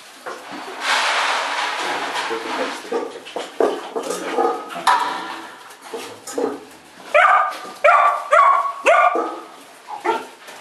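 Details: One-month-old Ibizan hound puppies recorded 25 August 2011: a noisy, rustling start gives way to a quick run of sharp, rising yelps and whimpers, several in close succession toward the end.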